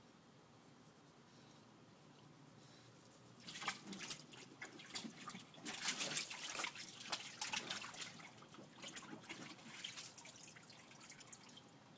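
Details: Running and dripping water in a small room, starting after a few seconds of quiet; no animal voice is heard.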